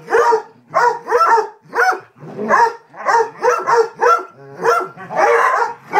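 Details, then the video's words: Pack of Basset Hounds barking during a playtime chase, their playmate Delilah the target after rolling in something disgusting; deep, bawling barks and bays overlapping in rapid bursts, several dogs calling at once, about a bark and a half per second. "Pack of Basset Hounds barking mad playtime chase"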